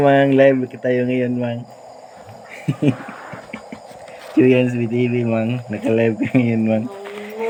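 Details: Night frog chorus near a home, with loud, deep, nasal croaks in rough pulsed bursts lasting one to two seconds and quieter gaps between them, while a continuous insect hum runs underneath.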